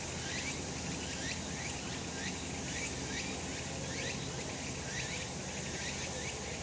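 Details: Sun-drenched summer hillside with cicadas: a constant high whirring chorus and a series of short ascending notes, about one a second, above a quiet low rumble.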